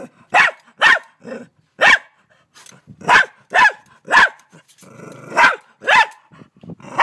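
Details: Scared dog confronting a huge mantis in Australia: loud, rasping barks come in uneven bursts, separated by short pauses and one brief low growl.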